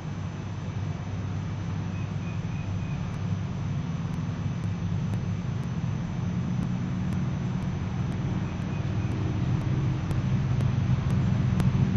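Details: A steady low engine rumble, like a passing aircraft or traffic, with faint ticking clicks and no animal voices.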